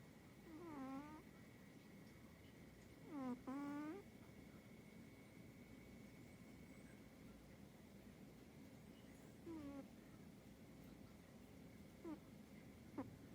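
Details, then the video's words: Cat snoring: short wheezy, whistling snores with a bending nasal tone, spaced irregularly a few seconds apart, over a soft steady background hiss and a thin constant tone. "고양이 코골이"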